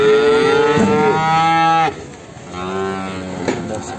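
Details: Limousin calf recorded in the morning at a livestock market in Ambarketawang, Sleman: a loud, long lowing moo falling at its end, then a softer, shorter second moo after a brief pause.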